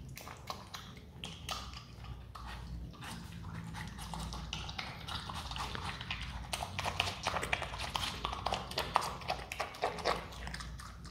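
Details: A pet Himalayan marmot (Marmota himalayana) crunches and chews watermelon in quick, wet, irregular bites.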